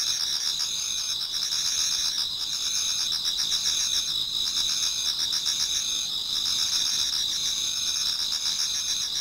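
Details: Chorus of autumn insects in a Japanese garden toward dawn, many singers together: shrill continuous ringing trills layered at several high pitches, with rapid pulsed chirps running through, steady loudness throughout.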